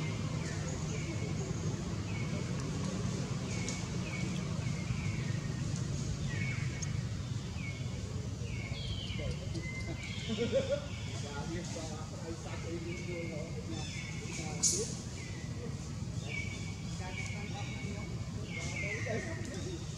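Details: Jinx, a new baby long-tailed macaque, cries in short bursts from hunger even with milk in its mouth because mother Jade's milk has dried up. High, thin squeals repeat through the clip over a steady low rumble, with one sharp knock near the end.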